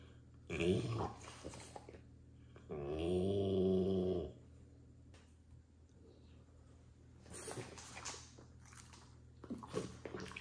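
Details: French Bulldog growling while eating broccoli with pleasure indoors: one low, rough, harmonic growl lasting about one and a half seconds mid-clip, framed by short chewing and snuffling bursts near the start and end.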